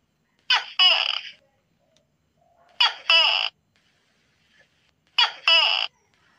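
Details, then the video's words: Tokay gecko calling at night: three loud two-part calls, each a short sharp bark followed by a longer harsh, rasping note. They repeat roughly every two and a half seconds against an otherwise silent background. "suara tokek di malam hari"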